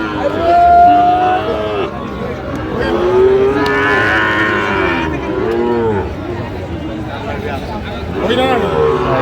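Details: Sahiwal bull at the Narayanganj cattle market on 30 January gives repeated bellows. A strong call opens the clip, more lows follow in the middle, and a final one comes near the end, amid market hubbub and bargaining voices.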